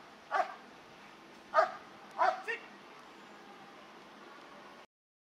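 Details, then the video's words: German Shepherd during high performance bitework training, giving four sharp barks at about 0.4, 1.6, 2.2 and 2.5 seconds, the last two close together, over a low steady background hiss. "Intensive Look at High Performance Bitework! - Kraftwerk K9 German Shepherds"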